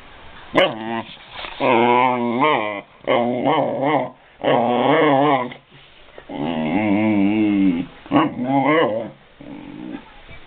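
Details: Five-month-old male Basset Hound asserting dominance over his beagle brother, indoors; long drawn-out howling barks with a wavering, yodel-like pitch, in bursts of one to two seconds separated by brief pauses, loud and close.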